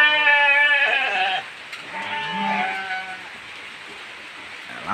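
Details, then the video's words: Hungry goats in heavy rain bleating for food, a loud harmonic wavering bleat over the first second and a half, then quieter calls, with a man speaking nearby and rain in the background. "kambing lapar sangat sampai menjerit meminta makanan"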